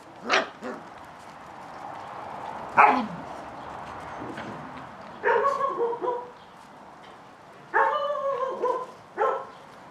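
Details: Catalan Sheepdog puppies from Bonny and Elgoche romp together, giving scattered short barks and several drawn-out, tonal yelping whines a few seconds apart, each wavering slightly in pitch.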